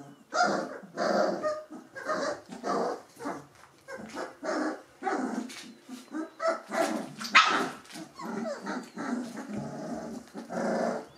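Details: Litter of Gordon Setter puppies aged three weeks giving repeated hoarse little barks and growls, roughly one or two a second, mixed with squeaky yips.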